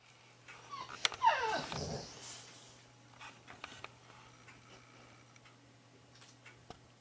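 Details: Two boxer dogs, a mother and her son, with the son wanting the other tennis ball back. A single wavering, whining vocal burst rises and falls near the start, then fades to faint scattered clicks and shuffling over a steady low hum.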